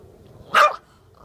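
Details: Chihuahua, angry after a bath, lets out one sharp, high bark lasting a split second. A short spoken word follows against a quiet indoor background.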